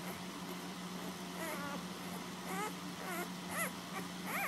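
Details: Puppies nursing from their mother at home, giving thin, high whines that arch up and down in pitch, several in quick succession, over a steady low electrical hum.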